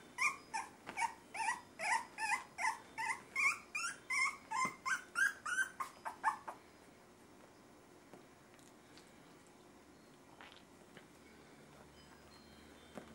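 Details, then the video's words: Miniature Schnauzer puppies, three and a half weeks old, give a quick run of high, wavering whines, about three every second for six seconds, before the room falls almost silent. "Puppy whines and growls"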